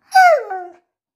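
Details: Pet husky making a short, talking-style whine: a single high yelp that slides downward and fades within about half a second.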